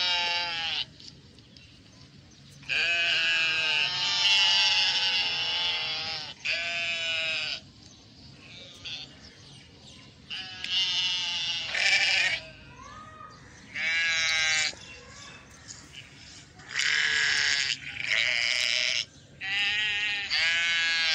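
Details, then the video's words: Ewe and her lamb calling: repeated quavering bleats, mostly one to two and a half seconds long, coming in clusters with brief pauses between them, with low steady background noise throughout. "Sheep and her cute baby"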